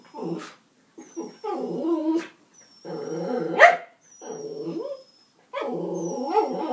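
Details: Dog giving a series of whiny, yelping vocal bursts with a wavering tone, about five separate calls over several seconds with short silences between them, and a faint thin high whistle-like tone in the background.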